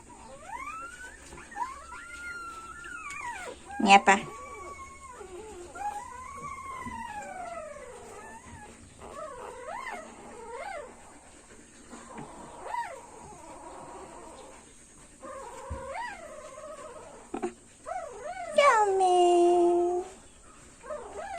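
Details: A 3-day-old Siberian Husky puppy gives thin, wavering howls and squeals that rise and fall.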